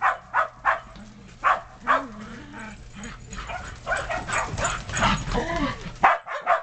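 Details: Shetland Sheepdogs playing in the snow in 2010, romping between yard and deck while puppies stay on the deck; sharp excited barks come in quick irregular bursts, about two per second, with human voices murmuring in the middle stretch.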